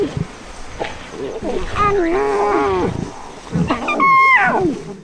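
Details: Lion; cub whine; cubs protesting when their mother stops nursing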